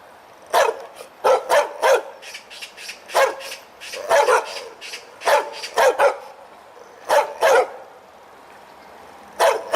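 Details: Loud, full-throated barking from a dog wagging its tail: single and paired sharp barks spaced irregularly, one slightly drawn-out bark midway, then a few seconds of quiet before a final bark.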